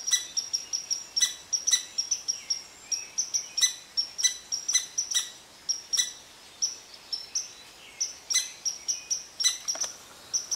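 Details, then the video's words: Irritable red squirrel scolding an Eastern Cottontail that rests beneath its favorite tree, delivering fast repeated high-pitched chips in steady pulsing bursts with occasional sharper accented notes. "Red Squirrel Upset With Cottontail Rabbit"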